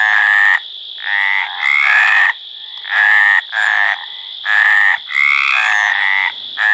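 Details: Mediterranean tree frogs calling loudly in courtship. Dense overlapping rasping croaks nearly fill the whole clip, with two voices alternating quickly, one pitched slightly higher than the other, and hardly any pause between notes.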